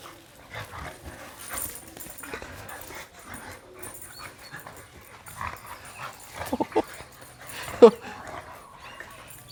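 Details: Red-nose American Pit Bull Terrier mother with her puppy, playing together; faint rustling at first, then a few short, sharp yelps and whimpers near the end, one loud high yip standing out, with quiet room background.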